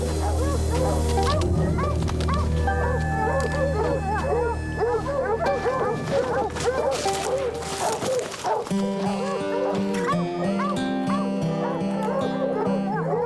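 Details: Tracking hounds pursuing a mountain lion in the snowy Rocky Mountains bark in quick, rough bursts about twice a second, frantic tree barking signalling a cat up a limb, though possibly the wrong tree, over sustained musical tones.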